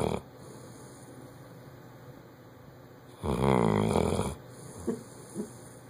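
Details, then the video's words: Bloodhound snoring loudly while asleep: a long quiet stretch, then one deep, rough, rumbling snore lasting about a second, followed by two soft snuffles, over a steady faint background hum. "Bloodhound snoring loud"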